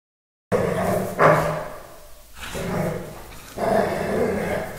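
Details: Dogo Argentino playing with a Staffordshire terrier; short gruff barks and growly vocal bursts come in three bouts, at the start, near one and a quarter seconds, and from about three and a half seconds on, with quieter scuffling between.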